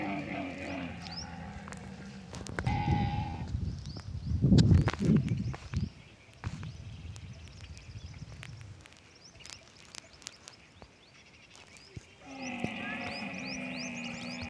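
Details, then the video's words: Lone young camel in the Tharparkar desert cries while running: a drawn-out, low, harmonic moan opens, then loud rumbling and clattering noise, then a second long buzzy cry rises near the end. "Alone camel baby crying and running in Desert Tharparkar"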